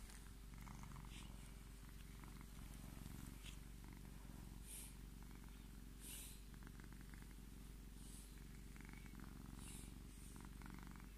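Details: Tommy, a Scottish Fold cat, purrs as he claims his petting: a continuous deep pulsing rumble with faint brushing and rustling sounds scattered over the top.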